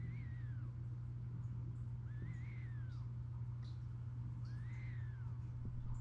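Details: Snoring Siberian cat, sleeping, makes three faint nasal whistles that rise and fall on each breath, roughly every two and a half seconds, with a steady droning hum underneath.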